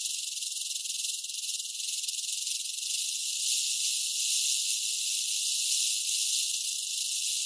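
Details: Rattlesnake vibrating its tail as a warning: a continuous dry, hissing buzz with no breaks, steady for the whole stretch and growing slightly louder midway.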